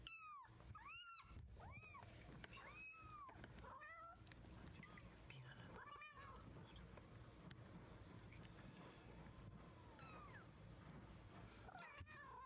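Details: Young kitten taking its first steps, April 2014, calls in a quick run of arched meows, several within the first seconds, then softer, sparser mews alongside a human voice indoors.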